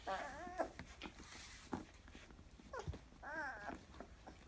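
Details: Fourteen-day-old Labrador Retriever x German Shepherd puppies from Bella's first litter, born November 2015, indoors. Two harmonic, wavering whines, each about half a second long, rising and falling. Quieter squeaks and rustling come between them.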